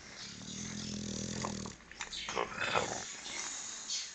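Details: English bulldog napping, giving a low droning snore-like breath for nearly two seconds, followed by short snuffling and rustling sounds.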